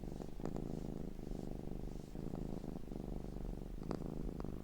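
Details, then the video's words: A domestic cat's looped purr: a low, vibrating rumble pulsing in breath-length waves, with a few sharp clicks and short higher rasping flicks near the end. "Looped Cat Sounds"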